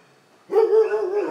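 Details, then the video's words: Dog giving one drawn-out, tonal bark that holds a steady mid pitch for nearly a second after a short silence, with a clean background. "Szczekanie psów"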